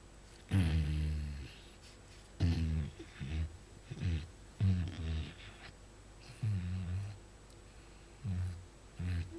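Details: Pet fox, a female kept indoors, chewing and biting her owner's hand while making low, pig-like grunting bursts, harsh and throaty, repeated roughly every one to two seconds with short quiet gaps in a small room.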